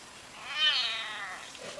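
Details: Pet house cat giving one drawn-out, high meow that rises, holds and slowly fades over about a second, in a quiet room.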